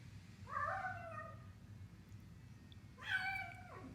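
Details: Pet cat vocalizing during a meal, giving two drawn-out meows about two and a half seconds apart. The second is higher and slides downward at its end, with a soft low hum beneath.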